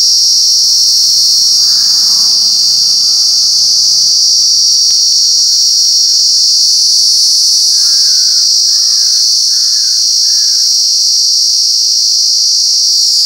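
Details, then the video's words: A cicada in Alaveddy, Jaffna, drones in a loud, steady, ear-piercing high-pitched buzz that never lets up. "சில் சில் சில்வண்டு"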